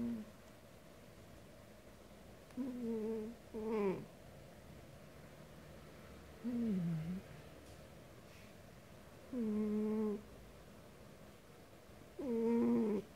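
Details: Sleeping pet cat named DonDon snoring loudly indoors: tonal, whistling nasal snores with clear overtones, some falling in pitch, coming roughly every three seconds with quiet breathing gaps between in a small, still room.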